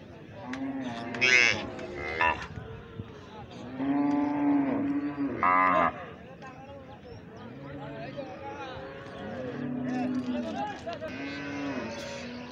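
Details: Calf moos, low and arching, repeated several times over about twelve seconds, mixed with sharp rustling or scraping bursts and faint background noise.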